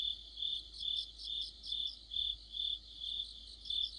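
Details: Crickets and other insects singing together in autumn under a streetlight: a steady high chirping chorus, with pulses swelling about every half second and a faint low hum beneath.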